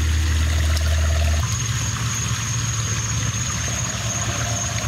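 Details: At night, caiman are being fed while water trickles and gurgles, with a steady engine-like hum and a constant high whine and no animal voice standing out.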